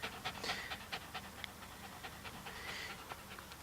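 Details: Dog panting beside a litter of day-old puppies whose eyes are still closed, quick breathy pulses at about two per second with a few faint squeaky notes, a steady low hum underneath, and a woman's soft baby talk around it.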